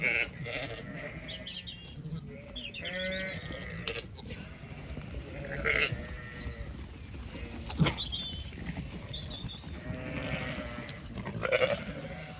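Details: Main flock of Zwartbles sheep moving to windcharger field for late-afternoon grazing on a Kilkenny farm in Ireland; repeated quavering bleats from several animals overlap throughout, with shuffling and trampling noise beneath.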